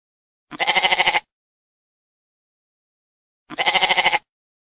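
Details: Two wavering, pulsed goat bleats roughly three seconds apart, each lasting under a second, with nothing else audible in the gaps.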